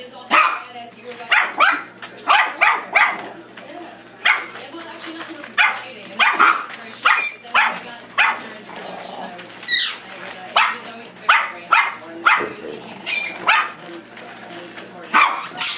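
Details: Chihuahua playing with puppies, barking steadily in short sharp yaps about every half second to one second throughout, some coming in quick pairs, with people's voices mixed in.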